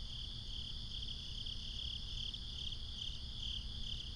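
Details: Night-time crickets in binaural ambience, a continuous shrill chirring that swells and fades slightly, layered over a dull low-frequency hum.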